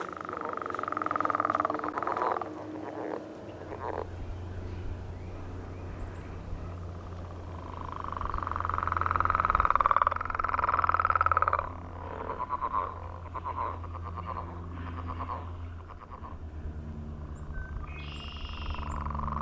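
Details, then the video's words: Frogs giving mating calls on a millrace in the morning, many in chorus; long pulsed trills near one kilohertz swell and fade, with a steady low engine-like hum underneath. "Enjoying The Mating Call of Frogs on the Millrace"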